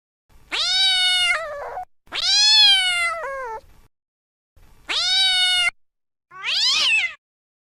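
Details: Domestic cat producing three long, loud, harmonically rich meows that rise and then slide downward, followed by a shorter, rougher call; silent gaps between, no background sound.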